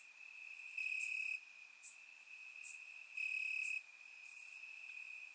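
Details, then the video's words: Crickets chirping in grass on a warm summer night in Bulgaria, recorded in surround sound: a steady high trill swells into two louder, longer bursts, with faint brief chirps from other crickets scattered between. "Cricket Sounds - Crickets Chirping at Night"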